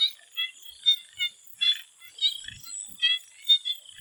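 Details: Swamp frogs in Thailand calling before sunset: short nasal croaks repeated about twice a second from several callers, over a steady high insect hum.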